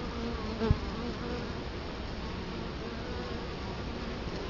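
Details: Italian honey bees buzzing at a hive entrance in Colorado Springs in October 2011, recorded close in front of the hive. A continuous low droning hum carries on, with one sharp louder buzz early on as a bee flies past.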